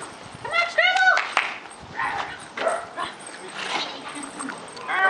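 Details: Sport dog puppy, a Belgian Malinois, Border Terrier and Border Collie cross, 57 days old, during retrieve and tug play; two sharp harmonic yips early on, then scuffling, a person's voice and play noises.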